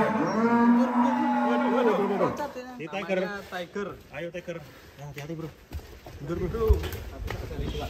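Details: Cattle at a farm, one of three described as unique and funny animals, giving a long steady moo lasting about two seconds, then broken voices and background music over the rest.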